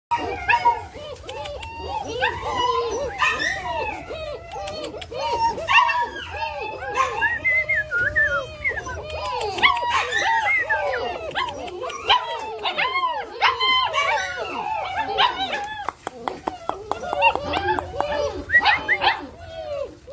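German Shepherd puppies whine and yelp together in a constant overlapping chorus of high, arched cries.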